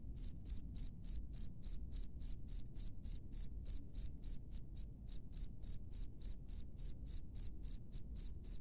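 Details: Cricket singing in natural surroundings, a continuous train of sharp, high chirps at about three and a half per second, loud and regular with a few slightly weaker pulses midway.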